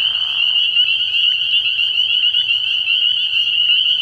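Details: Night chorus of spring peepers at a frog pond in early spring: many shrill, overlapping peeps form an unbroken high trill, with a brief softer rustle at the start and a low faint drone.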